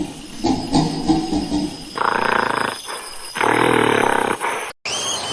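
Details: Monkey calling: a low grinding vocalization, then two loud, harsh, roaring bursts of about a second each with layered tones, followed by an abrupt cut and a short high squeal.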